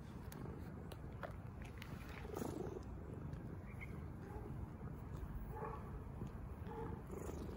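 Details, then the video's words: Ginger stray cat that approached the feeder asking for food: a low, steady purring rumble runs throughout, with a few soft, faint tonal calls in the second half over quiet outdoor background. "Beautiful Ginger Stray Cat came around me and asked for food."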